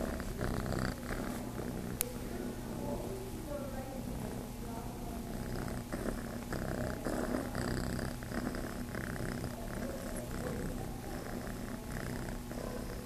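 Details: Kitten Chase at Starlight Farm, looking to nurse, purrs in a low continuous rumble; a sharp click early on and soft voices murmur in the background.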